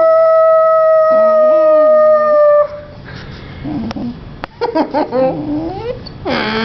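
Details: A young female Vizsla, Honey, talking back: a loud sustained howl with a wobbling lower tone for about two and a half seconds, then quieter whines, short yips and shuffling sounds.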